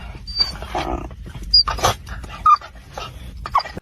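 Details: Household dog in a funny pet compilation. It makes a run of uneven, voice-like yips and whines with thin squeaky whistles between them, about one burst per second, against indoor background.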